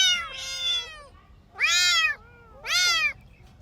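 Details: Three meows in quick succession from kittens playing on the grass, bright and arched, the last two short and loud about one second apart.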